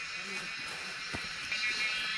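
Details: Cicadas singing in the Himalayas of Nepal, where wild mushrooms are foraged: a loud, unbroken, dense buzzing drone holds steady through the whole stretch, with faint human voices murmuring beneath it.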